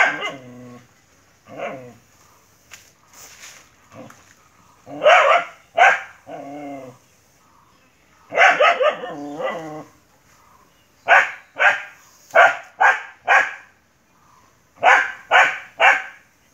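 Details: Dog in a fierce fight with a monitor lizard, barking in rough bursts: harmonic, whining yelps early on, then clusters of sharp, loud barks spaced under a second apart through the end.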